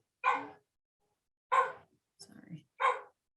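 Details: Pet French bulldog whining indoors while a chemistry lecture is recorded, its voice likened to a dying goat; three short, harmonic, drawn whines about a second apart with a brief murmur of speech between them.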